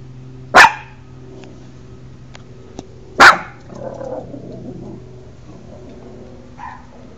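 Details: A puppy barks twice, sharp short yaps about two and a half seconds apart, followed by a soft rustling and a faint brief squeak; a low steady hum runs underneath.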